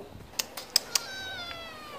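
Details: Stray cat wanting wet food: a few sharp clicks, then a faint, drawn-out meow that slides slowly downward and fades.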